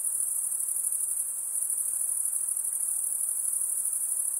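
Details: Soothing insect sounds near a calm lake, heard as a constant thin, very high whine with a slight pulsing texture, steady in loudness from start to end.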